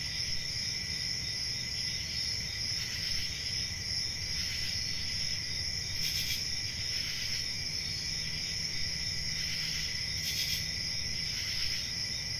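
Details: Summer night forest chorus of crickets, a continuous shrill trill holding steady throughout with soft low background hum and occasional brief brighter swells.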